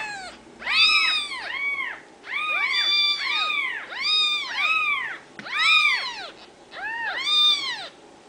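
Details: Several high arched mews from Ragdoll kittens born and raised in a home cattery in central Kansas, overlapping in bursts about every second or two, some doubled, with quiet gaps between.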